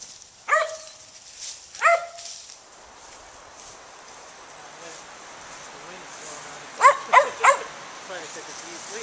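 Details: Gray's Mountain Feist outdoors giving two sharp, single barks about a second and a half apart, then after a quiet stretch a quick run of three barks, with low human voices and a soft outdoor background.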